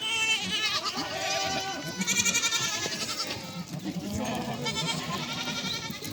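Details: Goats and their kids in a village flock, calling as the kids search for their mothers to suckle; many overlapping wavering, nasal bleats with rich harmonics, some high and quavering, others lower, sounding continuously throughout.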